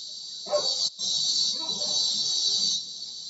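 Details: Cicadas (kuliglig in Tagalog) recorded from a bedroom window: an unbroken, shrill, sizzling drone with one brief drop-out. A dog barks once, over faint low background murmur.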